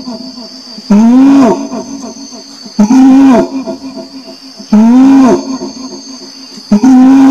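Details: Orangutan calling with loud, arched, harmonic groans, each rising then falling in pitch and spaced about two seconds apart, over a steady high-pitched insect-like hum.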